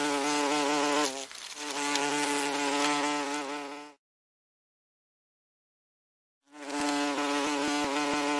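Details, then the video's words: Common wasp (Vespula vulgaris) droning in flight, a harmonic low hum that wavers once, stops in total silence for about two and a half seconds, then returns just as loud. "Osa. Bzyczene owadów - Odgłosy osy"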